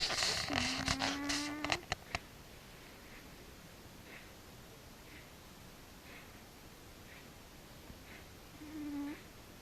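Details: Frici the cat snoring while asleep: a steady, whistled low tone with a nasal buzz of overtones, under about a second of clicks and rustling, then near-silence until a second short whistled snore near the end.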